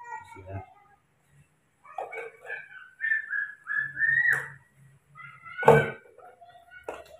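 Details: Newborn baby monkey being given milk during its usual morning feeding, giving thin, high whistled squeals in a run of short rising and level notes, with a person speaking Indonesian nearby and a thump near the end.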